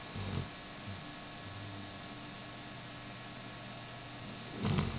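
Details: A 5-year-old Basset Hound snores in low, rumbling bursts after an operation to remove a cyst, with a quiet steady hum between breaths.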